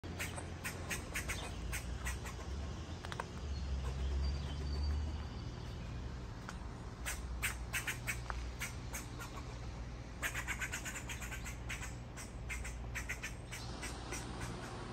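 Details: An angry squirrel gives rapid, harsh, clicking chatter in uneven bursts over a low background rumble.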